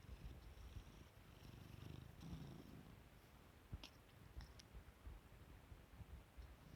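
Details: A domestic cat waking up and yawning, purring softly: a faint, low, steady rumbling throb that swells slightly around the second mark, with a few small clicks and rustles near the end.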